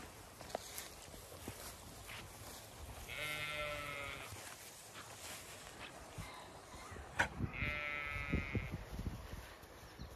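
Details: Ewes and lambs of the Zwartbles breed grazing on an Irish farm in County Kilkenny during hot May weather; two trembling bleats, one near three seconds and another near eight, with rustling and a faint high whine late.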